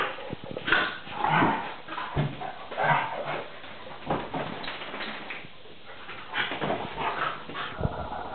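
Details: Rough play between Tarka, a Vizsla puppy of three and a half months, and NooNoo the pointer. Short barks and yelping growls come in irregular bursts, with pauses of lighter snarling and scuffling between them.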